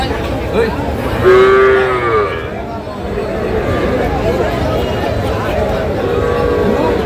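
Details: Deshal breed dairy cows with calves at the Kaharol cattle market in Dinajpur, Bangladesh, on 5 July 2025; one drawn-out, slightly rising moo near the start amid constant crowd chatter and bargaining voices.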